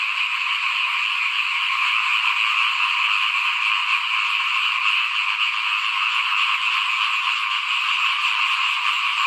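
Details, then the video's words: Small frogs calling in front of a house during rice sowing season, 2021: a dense, unbroken chorus of rapid trilling croaks in stacked bands, steady in loudness throughout, with no other clear sounds. "เสียงเขียดร้องหน้าบ้าน ตอนหว่านข้าวเตรียมปลูกปี2021"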